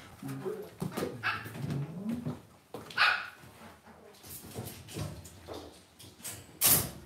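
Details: Cavalier King Charles Spaniel puppies raised indoors in a home puppy pen give low, whiny moans that slide up and down in pitch over the first seconds, then softer yips amid scuffling and bumping.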